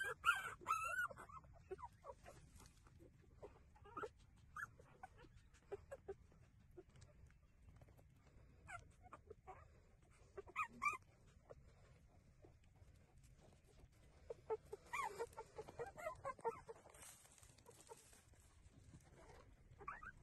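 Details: Puppies whimper while breastfeeding, giving scattered short, thin squeaks and whines with quiet gaps between them and a brief busier burst of squeals near the end.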